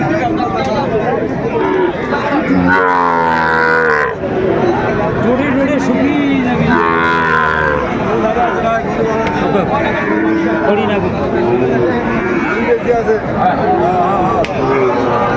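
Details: Sahiwal bull calves at the Aftabganj cattle market in Dinajpur, Bangladesh, as trading begins on 2 September 2025; two drawn-out, deep harmonic moos rise out of a constant din of bargaining voices and crowd chatter.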